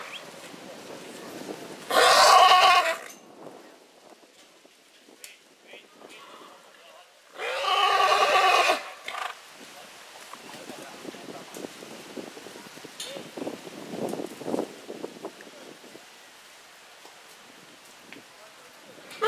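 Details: Purebred horse neighing in springtime: two loud, harsh bursts about five seconds apart, each lasting roughly a second, with quiet rustling and faint background noise between them.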